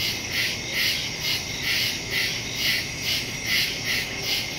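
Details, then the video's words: Crickets chirp in the woods at night, recorded September 2, 2023 on a Samsung Galaxy S22 Ultra phone with a Shure MV88+ stereo microphone: a dense, shrill, high chorus over a steady trill, swelling in regular pulses about twice a second. "Crickets in the woods at night"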